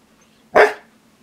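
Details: A Siberian Husky being teased with treats lets out one sharp, short bark, loud and sudden, then fading quickly into a quiet room.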